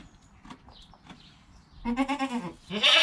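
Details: Newborn goat kid within an hour of birth: a quiet stretch of faint rustles, then a wobbling, pulsing bleat followed at once by the start of a louder, higher one.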